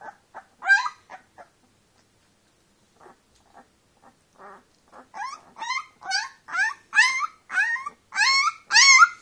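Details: Young brown female Leonberger puppy, eyes open and taking first steps, gives faint soft whimpers that build into a regular series of louder rising-and-falling yelping whines near the end.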